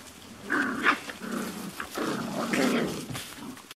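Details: Five-week-old Beauceron puppies from the Fuertès x Narte litter, recorded 22 November 2018 at a breeding kennel around feeding time, give a string of low rough growls and short whiny yelps over about four seconds, with scuffling between them.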